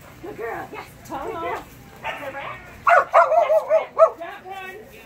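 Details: Phenix, a Kerry Blue Terrier, on a Senior level Barn Hunt qualifying run on June 8, 2019, gives whiny, tonal yips early, then a cluster of sharp barks bunched together in the second half.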